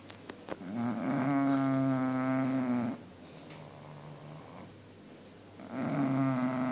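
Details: Two bulldogs sleeping and happily snoring: a long droning snore with a steady buzzing, harmonic-rich tone lasting about two seconds, a quieter pause of breathing, then the next snore beginning.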